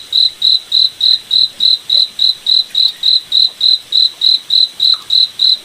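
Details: Steady rhythmic chirps from a cricket in a forest at night under the moon, a piercing single-pitched beat repeating around three and a half times a second, with a quiet, even background.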